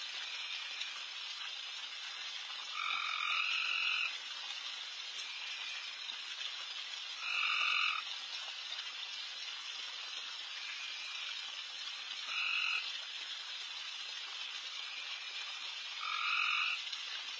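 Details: Insanely loud frogs all around a backyard at night while deer feed, an unbroken high chorus with four louder trilled calls, each about a second long, repeating roughly every four to five seconds.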